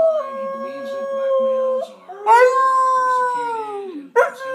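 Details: Shredder, a new family dog, howls in answer to a person howling beside him; a lower human-like tone runs underneath while the dog holds steady notes, then lifts into a louder arching howl and a final sharp yelp.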